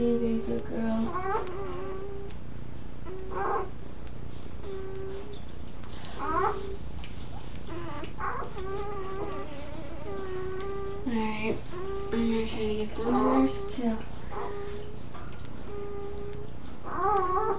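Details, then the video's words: Young puppies at nursing time cry in steady, drawn-out tonal whines, each held about a second and repeated with short gaps, some sliding upward into sharper squeals; soft human murmurs and a constant low hum sit underneath. "Puppies Making Noise"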